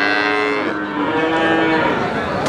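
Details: Cattle mooing at the Wagenan cattle market in Pati, sustained buzzy, rich-toned lowing with a slight downward slide, partly buried in the constant din of a crowded livestock market.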